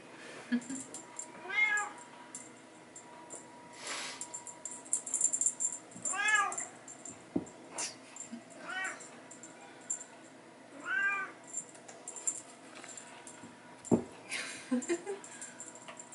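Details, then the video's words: Bengal kittens playing with a teaser toy alongside their mother in a hallway, giving arched harmonic meows roughly every few seconds, about five distinct calls, with soft thumps and rustling of play between them. "Bengal babies playing in the hallway"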